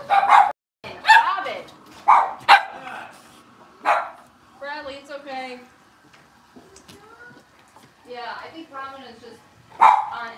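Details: Blenheim Cavalier King Charles Spaniel puppies aged six weeks, from a litter of five kept in an indoor puppy pen; sharp, loud yapping barks come in clusters at the start, once midway and again at the end, between stretches of human speech.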